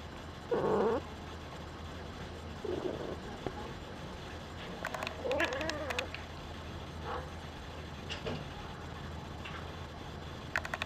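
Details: Singapura kitten named Diana, peeking out from her nursery bed, gives short harmonic mewing calls near 500, with a steady low hum and scattered clicks and knocks in the background.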